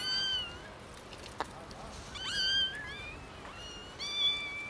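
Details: Three kittens found in someone's garden give loud, high-pitched meows, their thin voices overlapping in bursts about every two seconds.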